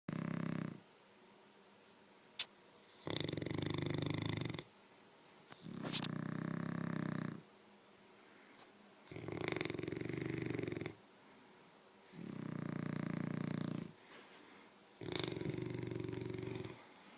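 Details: English Mastiff and French Bulldog snoring back and forth indoors as a contest; rough, rumbling snores about 1.5 seconds long, repeating roughly every three seconds with quiet gaps between.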